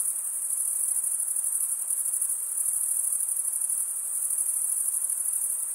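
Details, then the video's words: Male crickets stridulate in a continuous, rapidly pulsing high trill, slightly swelling and easing in loudness, over quiet background hiss. "Most relaxing cricket sound"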